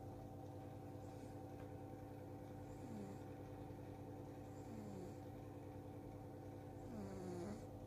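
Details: Domestic cat sleeping soundly and snoring: soft breathy snores with a low, downward-sliding tone, roughly every two seconds, over a steady low mechanical hum.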